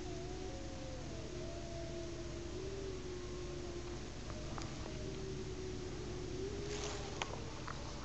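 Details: Three or four gray wolves (Canis lupus) howl together at sunset in winter in snowy northern British Columbia, giving long, smooth, overlapping notes that slide slowly up and down.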